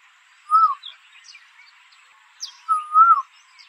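Two clear, high, whistle-like calls come from a red deer, each swelling slightly and then dropping away at the end. The second is drawn out to about twice the length of the first, with only a soft outdoor hiss behind them.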